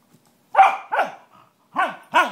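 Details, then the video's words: Australian Cattle Dogs, riled up by their owner, give a run of short, sharp yelping barks, each dropping in pitch, in two pairs separated by a brief pause. "Howling and Shrieking - Cattle Dog Style!!"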